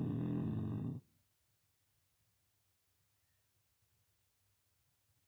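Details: Beagle puppy Yfke, asleep, snoring her nose off again: one loud, low, rumbling snore lasting about a second, followed by near silence with only faint breathing noise.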